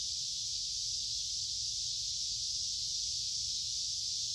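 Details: Cicadas in large numbers drone through midsummer woodland beside a creek on a warm, humid day, a constant high-pitched electric hiss holding level throughout, over soft low background rumble.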